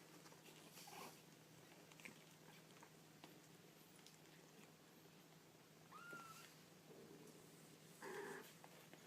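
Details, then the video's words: Baby kittens in a quiet indoor room: after soft pattering, a thin, steady mew sounds near six seconds, then a short, lower, muffled squeak near the end over a faint background hum. "Baby Kittens Making Cute Noises"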